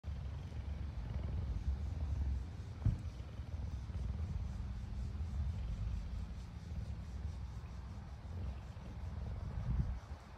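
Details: Two rescued female cougars, sisters Louisa and Marissa, living at a refuge, grooming each other in the morning; a low, steady rumbling purr runs throughout, with a single brief knock near three seconds.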